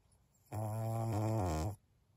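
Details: Maria, a 12-year-old senior fawn female pug in Japan, recorded 14 November 2022, gives a single low, steady, nasal moan lasting just over a second, with a slight dip in pitch near its end, in an otherwise quiet room.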